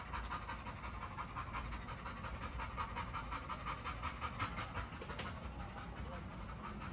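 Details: Great Dane near a fence, breathing in a fast, even panting rhythm of about three breaths a second, each breath a short hissing burst, with a faint low rumble behind.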